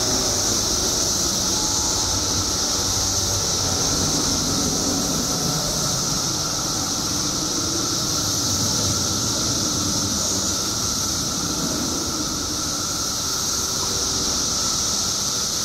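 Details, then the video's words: Billions of periodical cicadas out after 17 years underground in Illinois hold a constant high shrill hiss with a lower humming drone under it. Soft rumbling background noise persists throughout. "Billions of Periodical Cicadas Emerge After 17 Years Underground Cicadas Making Noise"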